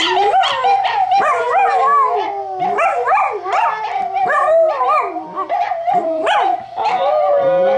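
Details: Howling from a pet dachshund reacting to dog television, a second dachshund quiet nearby; wavering, sliding howl notes rising and falling in short swoops, layered with overlapping tonal voices and occasional yips.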